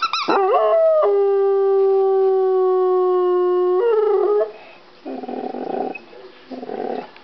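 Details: Rhodesian Ridgeback dog howling at home: a sharp rising yelp, then a long steady sustained howl held for about three seconds before dropping away, followed by quieter rustling bursts.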